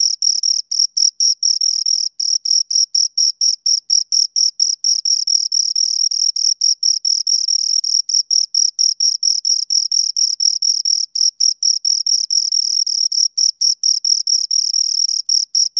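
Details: Two crickets sing right at the microphone, producing shrill, pure-toned pulses in quick succession that run almost continuously, with brief irregular gaps and no competing noise.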